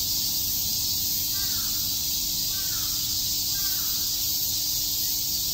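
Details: Summer cicada chorus at Shakujii Park in Tokyo, a steady shrill wall of buzzing that never pauses, while a crow caws three times at roughly one-second intervals in the background.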